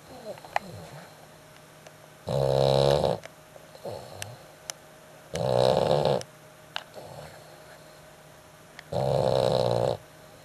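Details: A dog snoring extremely loudly in a steady cycle, three long rasping snores about three seconds apart, softer breathing sounds and faint clicks filling the quiet spaces between.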